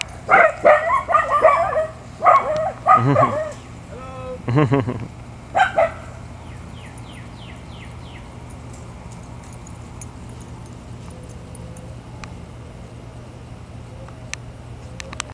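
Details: Puppies barking in a fast, uneven run of sharp yaps and yips over the first six seconds, then falling quiet, leaving low background hum and a few faint soft chirps.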